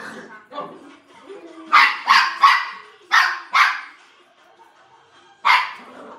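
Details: Poodle playing, giving sharp, bright barks in two quick bursts: three fast yaps, a pause, two more, then a single bark near the end, with softer grunting and whining between.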